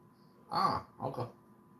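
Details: A relaxing Basset Hound, Handsome Jack, lets out two short, throaty groaning vocalizations on a lazy Sunday indoors: a louder drawn-out moan followed half a second later by a shorter, doubled grumble, with a quiet room behind.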